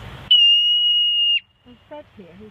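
A marmot gives one loud, piercing whistle, held steady for about a second, then people talk.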